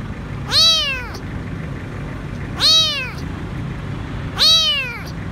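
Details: Hungry stray kitten alone beneath a food truck at a grocery store, begging for food: three loud, evenly spaced meows roughly every two seconds, each bright and harmonic with a downward glide, faint low hum behind.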